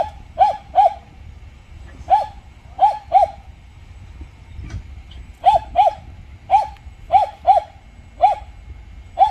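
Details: A Jindo barks at a glove factory around efforts to reconcile dogs after a fight. Short, punchy barks come in uneven clusters of two or three, about a dozen in all, with a brief gap midway and faint low hum beneath.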